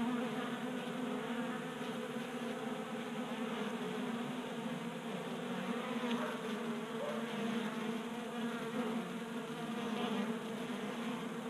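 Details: Honey bees feasting at a 3D printed feeder on a garage workbench, Colorado, January at about 60 degrees. Continuous layered humming of several bees in flight, even in volume, with faint clicks scattered through.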